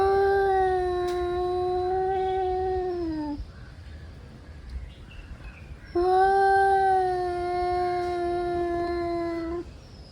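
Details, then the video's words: Male cats, angry and gearing up to fight, trade two long, sustained yowls of over three seconds each, separated by a short quiet gap; the first one sags slightly in pitch at the end. "Angry male cats warming up for fighting"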